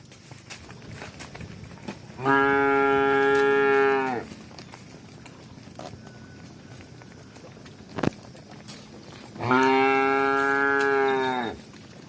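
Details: Cows on the move, running and walking, give two drawn-out, rich moos about two seconds each, seven seconds apart, with light knocks and a sharp click in between.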